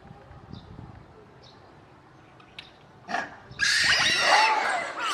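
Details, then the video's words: Zoo monkeys suddenly calling in loud voices as they notice staff approaching with food; a quiet stretch with faint repeated chirps gives way after three seconds to loud, harsh, broadband screaming bursts. "Monkeys suddenly making noise in loud voices"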